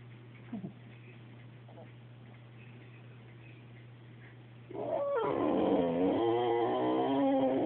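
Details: Quiet room with a steady low hum and faint thumps for several seconds, then a Boxer breaks into a continuous, loud, wavering whine, pitch sliding up and down, as it tries to get a cat to play.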